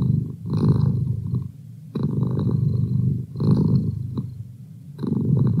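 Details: Deep, continuous purring from Merlin, a household cat, pulsing in breath-linked waves about every one and a half seconds, each surge rumbling low before easing into a softer lull.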